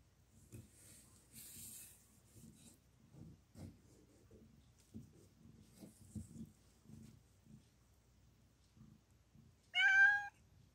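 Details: Mother cat giving birth to four kittens: about nine seconds of soft low rustling and shuffling, then one short, loud, harmonic meow near the end that rises slightly before fading.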